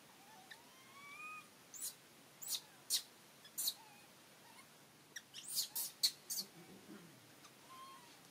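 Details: During the scene of monkey Rany blocking food from little Aryan, high clear whistled coos rise and bend, one at a time, broken by loud clicking, rustling snaps and a short low rumble near the end.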